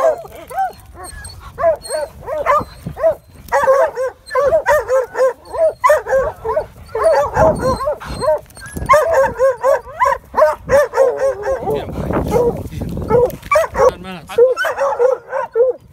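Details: Pack of coyote hounds that ran a red coyote into a rock den, baying in a loud overlapping chorus of wavering, ringing notes, several dogs calling at once almost continuously, with rustling and brief noisy bursts underneath.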